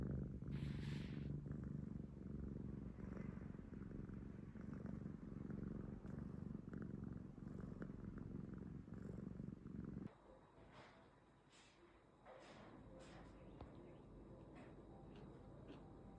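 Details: An affectionate, attention-seeking rescue cat purrs close up for about ten seconds, a low continuous rumble pulsing several times a second; afterwards the purring fades to quieter room sound with faint clicks.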